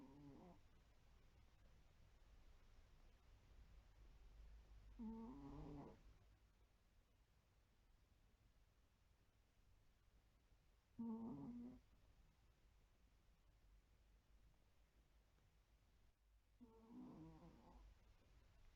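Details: A white Pomeranian asleep indoors, snoring softly; quiet low rasping snores come in four bursts about every six seconds, faint against a hushed room.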